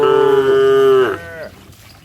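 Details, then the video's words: Cattle running and jumping in mud: one loud, steady, tonal moo holding a level pitch for about a second, then sliding downward and fading into a softer trailing tail. "Suara sapi Moo"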